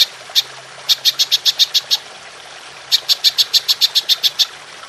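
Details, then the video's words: High, clicking bursts of a golden grasshopper, belalang emas, used for training songbirds: an opening tick, a run of eight rapid pulses, a one-second gap, then ten more in quick succession. "Belalang Emas Nembak Panjang"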